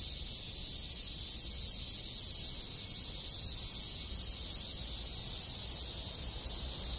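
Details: Many cicadas, with other insects, in a rural Japanese village in summer fill the air with a steady, high, hissing buzz that never pauses.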